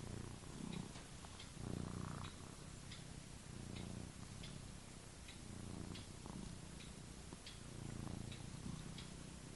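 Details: Domestic cat sleeping and dreaming, snoring softly with low rhythmic breathy rumbles about every one to two seconds, faint and steady under a hiss of room noise.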